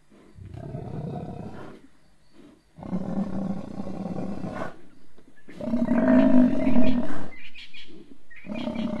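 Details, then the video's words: Lions at sunset at Banyini pan, a male having pulled down a huge buffalo bull and a second male arriving: deep, rumbling roars and growls in long bursts, strongest near the end, with short quiet gaps between. "Lions down buffalo"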